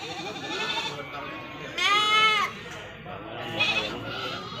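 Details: Goat at the Majenang goat market, where male goats and kids are on sale: one loud, wavering, harmonic bleat lasting under a second, then a fainter short bleat, over steady human chatter and crowd bustle.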